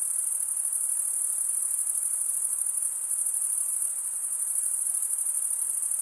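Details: Crickets stridulating, males rubbing one wing's toothed vein against the other: a dense, continuous high-pitched trill filling the whole stretch without pause, steady in loudness, with a faint hiss beneath.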